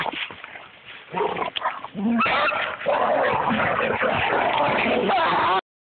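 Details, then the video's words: Two dogs unhappy about being tethered together on a double leash, with yips, whimpers and barks growing into continuous loud agitated vocalising, mixed with a person's voice. "upset being tied to each other via the double leash"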